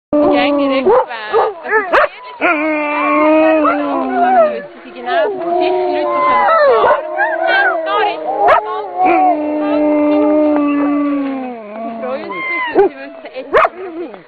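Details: A pack of Huskies used as sledge dogs in the Lauenen Valley, Switzerland, howling like wolves in the mountains; several overlapping long, wavering howls held for seconds, some sliding up and down, with a few sharp barks mixed in.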